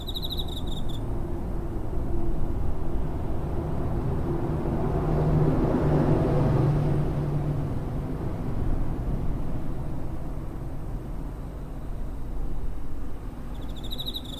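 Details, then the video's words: Cricket chirping near a home on 7 September 2023, captured with a TASCAM DR-05: two short bursts of high, pulsed trilling open and close the stretch, set over a steady low rumble of passing traffic. "Cricket chirping (コオロギの鳴き声"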